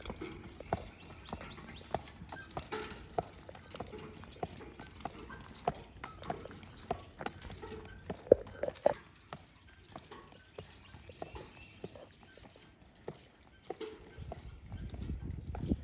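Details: Driven Percheron, crisp hoof clops in a loose rhythm, some louder strikes near the middle, with low rolling rumble building toward the end.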